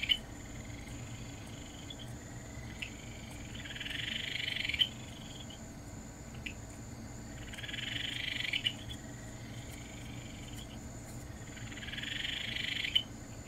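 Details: Calling Ryukyu Kajika frog, common on Amami, producing three high buzzy trills spaced about four seconds apart, each rising in loudness and cut off by a click, with faint soft clicks and low hum between.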